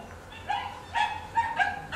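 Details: Unsocialized free-ranging stray puppies in southern Italy barking at approaching people: short, high yapping barks and yelps, about five in two seconds, over a faint low hum.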